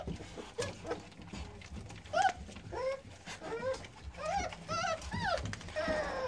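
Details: High, arching whimpers from newborn American Staffordshire Terrier puppies, born 9-6-17, come in short bursts after a quieter start, each cry rising and dropping, with soft background rustle.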